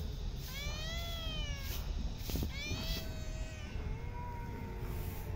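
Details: Park cats at feeding time give long plaintive meows, pitch arching up then falling, a few overlapping calls against constant low background rumble.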